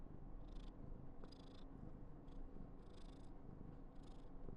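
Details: A deep, even purr from Karen, a female Somali house cat born 19 November 2021, in a burst of affection. Several short breathy rustling bursts sit over the constant low rumble.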